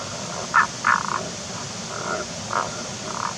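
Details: Tago's brown frog calling from hiding in a rock hole on a wet, mossy forest slope with seeping mountain water: short low grunting croaks in uneven bursts over steady hiss.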